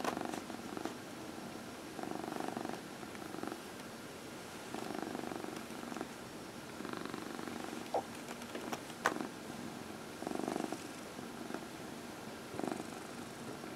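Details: Massaged pet cat keeps up a rolling purr that rises and falls in strength in waves every couple of seconds, accompanied by stroking rustles and an occasional sharp tap.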